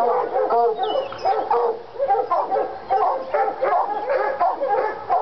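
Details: Lady and Cooper, Treeing Walker Coonhounds from North Carolina, stirred up by a coon skin; a quick series of loud harmonic barks and yelping bawls overlaps without pause, with a faint high squeak early on.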